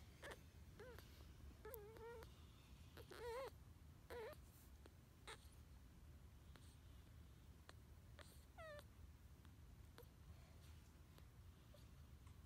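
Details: Newborn male Pug puppy, hungry on arriving at his new home and eating for the first time; scattered short, high, bent squeaks and thin whimpers over steady low rumbling and clicking noise.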